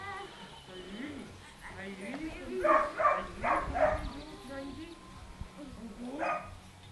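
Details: Dogo Canario puppies from the 9 June 2009 litter of sire Mirko de Atlantida and dam Nastya de Cielo de Canarias, giving a quick run of four high, yelping barks midway, with a person talking softly throughout.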